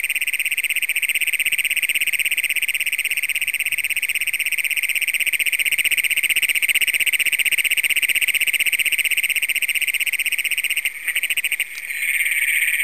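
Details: Piercing trill of Great Plains toads, first documented in Brown County, Minnesota, recorded after dark on June 27, 2010 with a compact Canon camera; one steady metallic buzz runs without pause, briefly interrupted near the end by handling noise.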